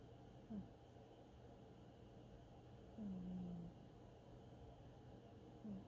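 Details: Sleeping cat snores as it dreams, giving three short low snorts: a quick one early, a drawn-out falling hum just after three seconds, and a last brief one near the end, with near silence between.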